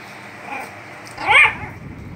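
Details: Logan, a small dog, gives one short, high yelping bark while jumping and playing happily; faint background hiss, no other animals.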